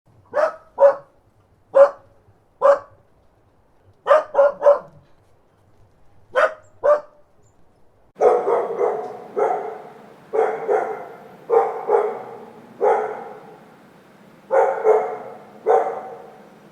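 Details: Dog barking: sharp, short barks in singles and quick pairs for about eight seconds, then a second run of fuller, longer, slightly echoing barks repeated roughly every second over a low steady background hum.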